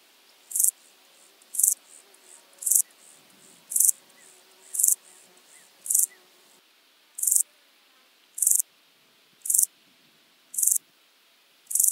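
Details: Common straw grasshopper at Illmitz, Austria, 13 July 2020, picked up with an ultrasound detector: short dry hissing pulses, very high-pitched, repeated about once a second with faint background noise between.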